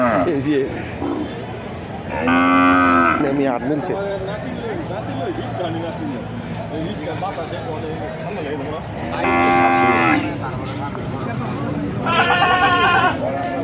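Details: Three separate moos spread over about fourteen seconds from cattle at the Kuchiya Mara cattle and goat haat, 26/5/2026. The last call is shorter and higher than the first two, and there is steady crowd chatter throughout.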